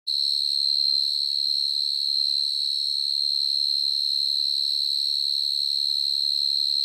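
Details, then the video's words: Very loud cricket calling in a garden in the evening, a kind that digs into the ground to make its home. It gives one steady, unbroken, high, whistle-like tone that holds level throughout, with a faint low murmur beneath. "Real Sound Of Cricket"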